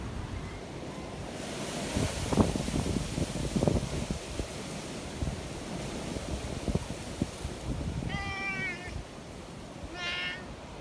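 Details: Community cats in the mountains in stormy wind: a long stretch of rumbling wind and rustling, then two clear meows close together near the end, the first wavering and the second brief and higher.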